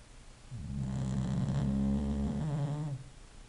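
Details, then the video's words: A sleeping English Bulldog snores in one long, rough, low rattling breath lasting about two and a half seconds, with a throaty vibration and quiet room tone before and after. "a snoring bulldog"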